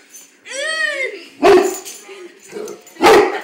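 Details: Big brown dog scared of his own reflection in a mirror: a drawn-out, wavering whine, then two sharp, loud barks about a second and a half apart, with a person's excited voice talking over him.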